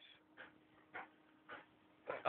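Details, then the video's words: Akitas playing indoors give short, breathy huffing bursts spaced about half a second apart, five in a row, rising a little louder at the end, with a steady low electrical hum underneath. "AKITAS PLAYING"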